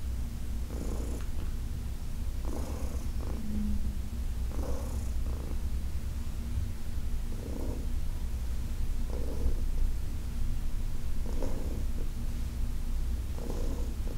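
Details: Continuous deep purring from Heidi, a 14-year-old adopted cat, while being massaged indoors; low vibrating rumble with rhythmic breathy pulses about every two seconds as she inhales and exhales.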